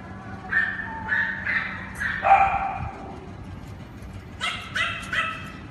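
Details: Cane Corso puppies from one litter giving a run of high, tonal yelps and whines, a pause, then three more sharp yelps close together.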